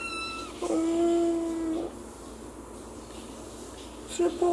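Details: Kitten meows indoors, from one of two 3-month-old female kittens, Anggo, a British Shorthair, and Chacha, a Norwegian Forest cat. A drawn-out, steady, harmonic meow lasts over a second, followed by a brief second meow near the end.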